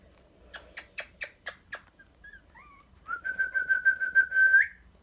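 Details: Twenty-day-old Dachshund puppies at about the time they have just eaten: a quick run of sharp taps, then brief thin whistled squeaks, followed by a long, steady, high whine that pulses several times and lifts at the end.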